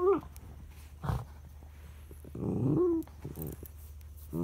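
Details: Charlie the dog throws a tantrum because his son is lying over the treat: a short low grumble, then a brief rising-and-falling whine near the end, with quiet background hum between sounds.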